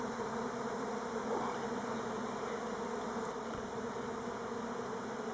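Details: Elgon Buckfast honey bees orienteering near their hives on Timrarö outside Stockholm. A thick, continuous low-pitched buzzing from the swarm carries through the clip, with a brief passing whine near the middle.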